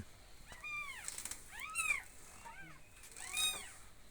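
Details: Kittens giving high, thin meows, each one arching up and then falling away. Four main calls are spaced roughly a second apart over four seconds against a quiet background.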